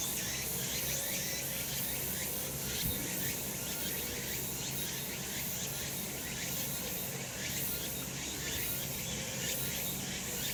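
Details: Cicadas calling in sunshine on a mountain in summer: a dense, steady high-pitched buzzing chorus with faint rhythmic pulsing that never breaks, plus a low background rumble and no other clear animal voices.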